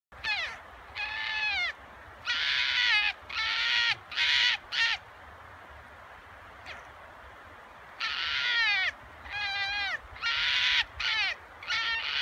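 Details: A red fox gives a rare, harsh, raspy, wavering roar-like cry in short bursts separated by pauses, at a fox pasture in Kitami, Hokkaido, Japan.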